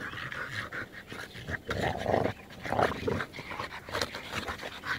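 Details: Dog, one of an American Bulldog, French Bulldog and Bull Terrier, giving fast, harsh pants and snorts with a low throaty edge, rising in strength midway through the short burst.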